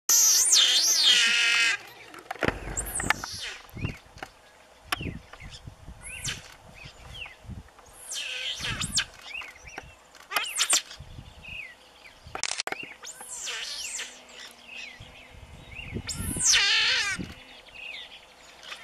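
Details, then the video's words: Giant otter family gathered together in the Pantanal, heard during a farm outing: bursts of high, harmonic squeals and screeches, some sweeping up and down, alternating with quieter gaps and scattered short broadband knocks. "Ariranhas no Pantanal"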